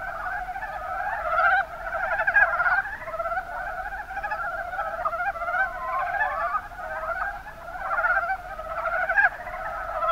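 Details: Chorus of mountain brown frogs (Rana ornativentris) in Kumamoto's Kuma Basin, Japan, with many overlapping rapid, rattling croaks that swell and fade in bursts over ten seconds.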